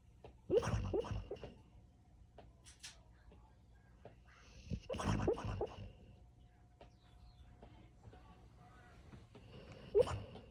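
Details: A usually silent female dog makes noise in her sleep: three snorting bursts about five seconds apart, each carrying a short, high, squeaky whimper. Quiet indoor background with soft breathing between bursts.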